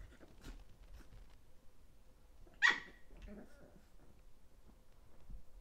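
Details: Thirteen-week-old Chihuahua puppies indoors. A single short, sharp bark breaks an otherwise quiet room, followed by faint breathing-like sounds.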